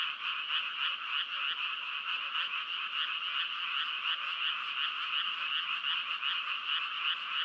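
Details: A thick mass of calling frogs gives a steady buzzing, trilled croak, evenly loud and gently throbbing from start to finish.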